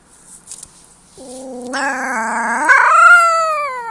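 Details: A gray wolf pup gives a thin, wavering howl that lifts in steps, then slides slowly downward.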